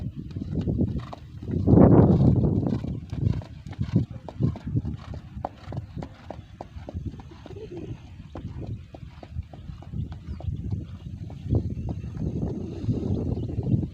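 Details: Hoofbeats of the horse Raja Tanpa Nama during light training before the 2023 Gayo traditional horse race: dull, fairly regular thuds about four per second, with a louder low rumble near the start and faint background noise.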